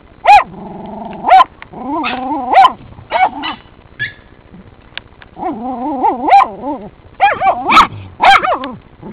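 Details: Working terriers baying at raccoons in a sett give repeated sharp barks mixed with long quavering growl-yelps, loud and agitated, in irregular bursts over nine seconds.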